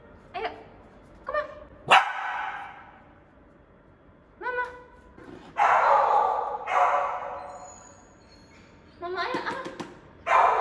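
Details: Samoyed getting a bath, giving short high yips and whimpers in scattered bursts, each a stacked harmonic tone, with loud rushing noise bursts in the middle and a soft background hum.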